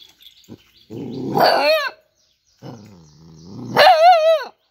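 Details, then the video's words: Dog growling roughly before rising into a harmonic yowl, pausing, then a low grumble that climbs into a high, strongly wavering howl and cuts off. "Cute and Funny Dog Sounds"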